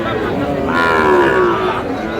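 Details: Sahiwal breed bull calves being traded at the opening of Aftabganj cattle market, Dinajpur, on 4 August: a single loud, harmonic-rich moo swelling for about a second, against steady crowd chatter.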